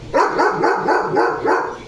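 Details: Pet German Shepherd named Leo barking nonstop: six clipped, mid-pitched barks in rapid, even succession with no pauses between them.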